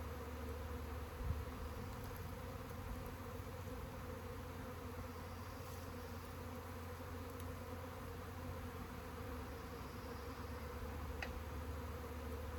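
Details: Swarm of honey bees giving a steady, dense droning hum with layered low tones, unbroken for the whole stretch, with a brief thump near the start and a faint click later.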